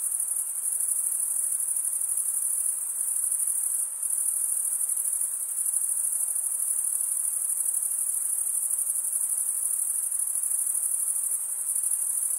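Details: Steady stridulating chorus of crickets: an unbroken, very high, pulsing trill, barely dipping once near four seconds, over soft background hiss.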